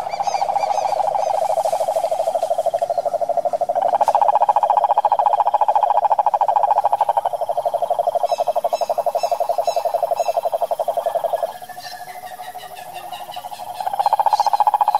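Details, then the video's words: Wild cane toad from the Brazilian sertão Pantanal giving a long, steady, low pulsed trill that shifts slightly in pitch, with a second overlapping trill and faint higher chirps and whistles in the background. "SAPO CANTOR SELVAGEM"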